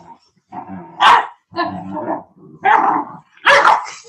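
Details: Cane Corso, or Italian Mastiff, from a breeding pack near Nashville, Tennessee: four deep, loud barks roughly every second, each opening with a throaty growl and ending in a sharp, booming woof.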